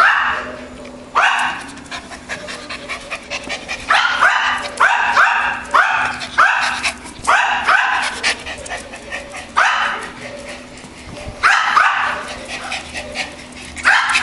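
A Schipperke barks in quick, sharp bursts, high-pitched and insistent, with brief pauses between volleys.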